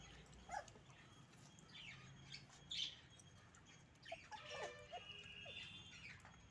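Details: Pomeranian puppies whining for food: soft, scattered high squeaks and short whimpers, several overlapping, rising and falling in pitch, with quiet gaps between bursts and faint background hiss.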